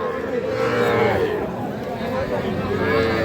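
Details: Heifer calves at Aftabganj cattle market on 16 May 2026, where a Faridpur farmer bought 37 of them; drawn-out mid-pitched mooing rises and falls twice amid loud chatter and crowd noise.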